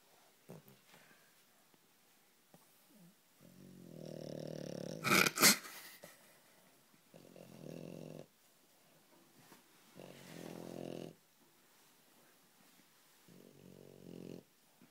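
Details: French Bulldog snoring while asleep with eyes open, soft rasping breaths in bursts every few seconds, one louder snort-like rustle near the middle, indoors.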